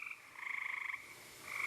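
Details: A gray treefrog gives a musical, rapidly pulsed trill lasting about half a second, with fragments of others nearby, in moist weather when frogs are crossing a road and spring peepers are also calling.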